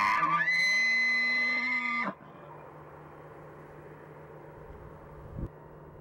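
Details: Mating-season bull elk giving a bugle: a piercing high whistle with a rough start, held steady for about two seconds before cutting off, followed by quiet background hum and one brief low knock.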